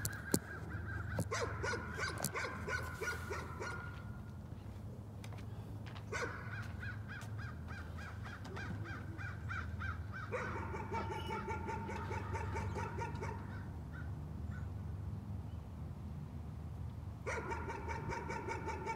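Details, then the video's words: Dog barking as a neighbourhood nuisance: repeated bursts of quick, shrill barks with quieter gaps between, over a constant low background hum. "Nuisance barking again."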